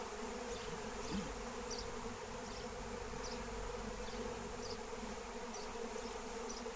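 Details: Massive flying honeybee swarm during capture with lemon balm; steady, buzzing drone of many wings, with a small bird's short high chirps repeated roughly every second over the hum.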